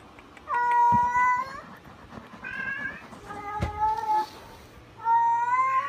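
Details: Young Munchkin kitten, 45 days old, mewing four times in a row, each meow clear and tonal and lasting about a second. The last call rises at the end. Short pauses separate the calls, with a faint room hum behind.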